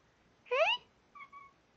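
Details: Milo, a pet cat, talking to its owners: one loud, clear meow that rises then falls over about a third of a second, followed by a softer, steady, higher-pitched murmur; a person chats to the cat before and after.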